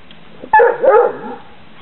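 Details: Basset Hound puppies, eight weeks old, out for the first time in Poland in late December 2008; a single sudden, wavering whiny yelp rising and falling over about half a second.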